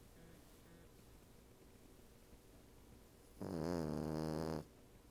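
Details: Cavalier King Charles Spaniel bitch snoring while lying on top of a couch at home, a Siamese cat also napping there: a quiet pause, then one loud, resonant, buzzy snore lasting just over a second.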